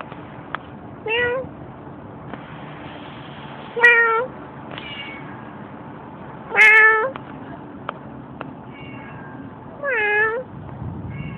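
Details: A stray cat being talked to gives four separate drawn-out meows, roughly every three seconds, each with a bending pitch and rich harmonics, over low background hum and a few faint clicks.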